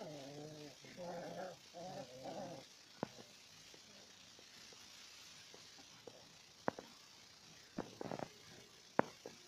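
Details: Four-week-old Alaskan Malamute puppies fighting give three quick, throaty, wavering growls, then scuffling thumps and clicks.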